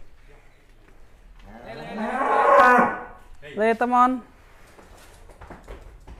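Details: Cattle in Indonesia giving a long, loud, rough moo that swells and fades, followed by a shorter, clearer harmonic bellow, with faint voices nearby.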